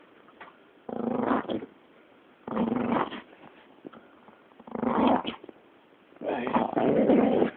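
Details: An angry yet playful Staffordshire Bull Terrier growls in rough, rumbling bursts, each lasting under a second.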